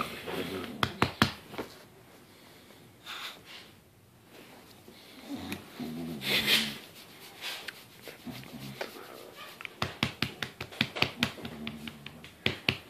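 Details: Bulldog indoors in a small room, wanting belly rubs, gives wheezy snorts and huffing breaths in uneven bursts, quickening into a rapid run of short snuffles near the end, with a person's voice heard now and then.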